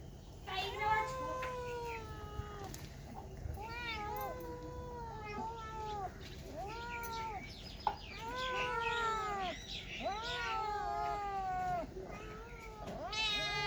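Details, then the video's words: Cats and kittens giving a rapid run of short, arched meows, several per second at times, overlapping and varied in pitch, with a faint voice and a few knocks in the background. "Very Funny Cats and Kittens Meowing Sound Effects Part 6 | Cat Sound | Cats Meowing"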